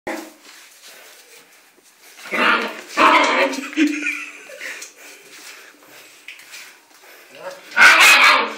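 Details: German Shepherd puppy barking indoors in a small room: a cluster of sharp, high, hoarse barks around the middle, a pause, then one loud bark near the end.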